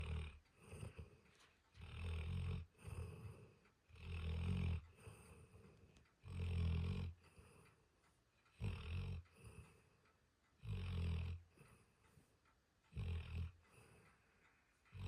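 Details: Sleeping dog snoring loudly and steadily, deep rumbling snores of about a second each, repeating roughly every two seconds with quieter breathy exhales between them, indoors.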